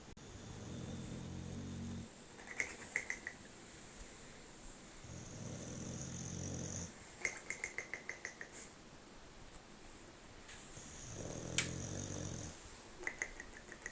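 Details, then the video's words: A male English bulldog snores so loudly it woke its owner, in deep, rumbling, drawn-out breaths that repeat every few seconds. "English bulldog snoring funny"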